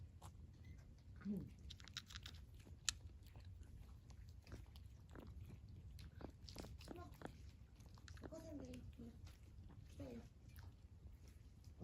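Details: Stray cat in winter eating warm food; wet chewing and biting clicks run through, with a woman's soft voice in Japanese and a few brief higher vocal sounds over low room hum.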